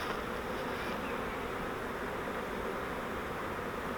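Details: Captured honeybee swarm from a custom flowerpot swarm trap: a thick, unbroken hum of countless wings, steady in loudness throughout.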